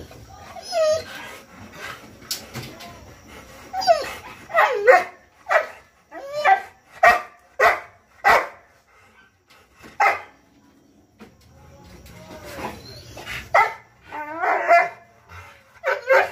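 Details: A 14-month-old Rottweiler barking in loud, abrupt bursts, about eight barks spaced roughly half a second to a second apart, with whiny tonal yelps at the start and more barks near the end; quiet background between.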